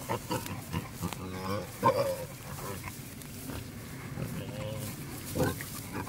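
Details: A male wild boar courting a sow in the wild, uttering short rough grunts and a few squealing, harmonic-rich calls, with uneven pauses between bursts.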